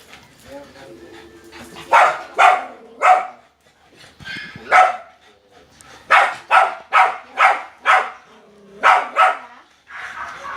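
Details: Frightened dog barking loudly at another dog, giving irregular series of sharp, harsh barks in bursts of two to five, with short pauses and faint voices in between.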